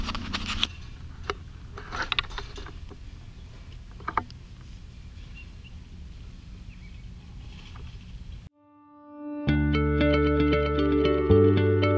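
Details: A steady low rumble with scattered knocks and clicks fills the first eight seconds, without any clear animal call. Plucked guitar music then takes over to the end.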